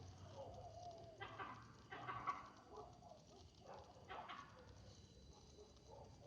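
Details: Monkey; alarm bark; warning after being disturbed at night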